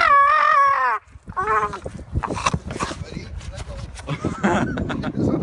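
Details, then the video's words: Outdoors, a pit bull growls and screams while dangling from a tree branch by its teeth. A strained, wavering, high scream lasts about a second, followed by a shorter cry, then people talking. "Dog screams on tree branch"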